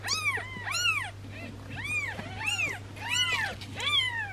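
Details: Newborn kitten with a swollen belly, possibly from trapped gas, around the time of a belly massage: high, arching mews repeated quickly, about seven in four seconds, with a steady low hum underneath.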